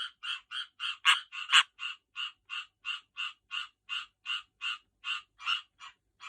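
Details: Tree frogs calling while getting ready to breed: a rapid series of short, rasping croaks, about two per second, evenly spaced and fairly steady in loudness, with two louder, harsher notes early on.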